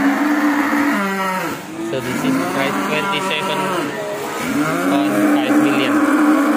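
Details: Indonesian Ongole cattle giving prolonged low moos, several voices overlapping, one sustained even tone returning at the start and end, over a steady noisy background.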